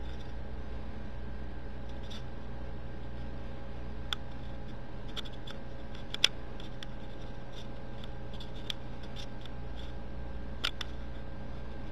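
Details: Steady low indoor hum with scattered faint clicks and scratches, and no animal calls.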